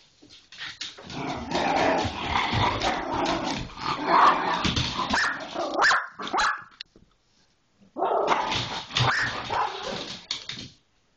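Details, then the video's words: Pit Bull scuffling with an Irish Jack Russell Terrier: dense snarling, growling and harsh barks run for about seven seconds, stop briefly, then a second burst of rough barking and growls follows. "Pitbull and Irish Jack get into a tiff"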